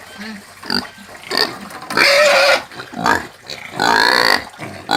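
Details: A free-range pig screaming over faint background noise: quiet low grunts at first, then two loud, harsh squeals, each lasting under a second.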